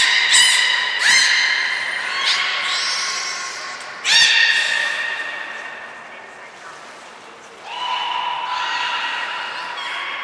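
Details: Belugas Hodoi, Taanya and Mirai at Port of Nagoya Public Aquarium, 14 March 2021, during pool moves and training. Bright harmonic squawks, each opening with a sharp clicky burst, come in several separate bouts over steady hall noise.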